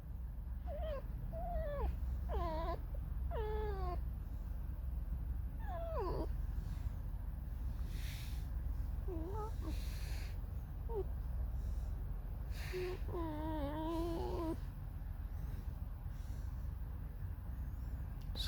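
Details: Pet fox Alice, discontented after receiving only a couple of pieces of dried apricot, squeaks out a drawn-out mournful song: a dozen thin, wavering, downward-sliding squeals at irregular intervals, some rising before falling, over constant low hum.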